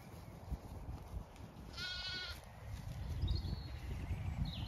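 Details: Zwartbles sheep, ewes with lambs, out on fresh pasture at a regenerative farm in County Kilkenny, Ireland; a single short tremulous bleat rises mid-clip, with faint distant calls and steady low wind rumble.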